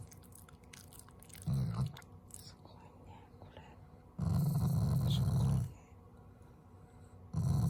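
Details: Loving Shiba Inu growling at its owners as a show of affection, not anger: three deep rumbling bursts, short, then about one and a half seconds, then another, separated by quieter stretches with soft voices and handling noise.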